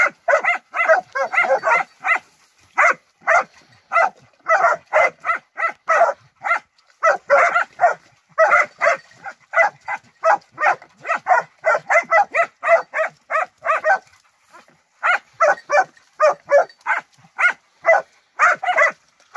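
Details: Young Transylvanian Hounds in summer wild boar hunting training give rapid, repeated baying barks, bursts of loud yelps with brief pauses around fourteen seconds, the pack voices overlapping steadily throughout.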